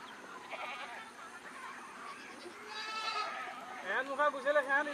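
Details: Goats on a farm in Nagaon, Assam, India: quiet murmuring voices at first, then wavering, nasal bleats toward the end, with a quavering, stepped pitch.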